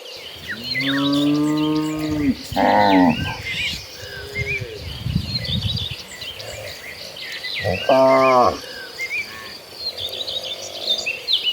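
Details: Herd of cows walking to pasture in the late afternoon: a long steady moo and a harsher overlapping bellow, then quiet rustling and a final short moo, amid busy bird chirping.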